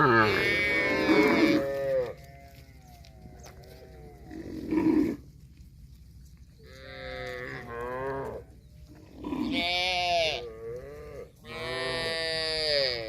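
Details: Cows lowing in a series of strong, rich moos, several long and wavering, with brief pauses between calls and a faint low background drone.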